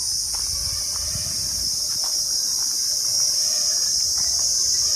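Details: Crickets calling along a narrow road leading to a newly built Kali temple at Arambagh, Bengal; a steady, shrill, high-pitched continuous trill, with faint low rumbling and scattered soft knocks beneath.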